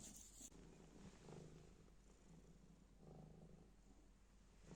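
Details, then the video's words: Black cat purring as it plays with a scrap of black plastic bag; a deep, even, rumbling purr rising and falling with each breath, after a brief crinkle of plastic at the start. "Kara poşet parçasıyla oynarken mırlayan sevimli kara kedi"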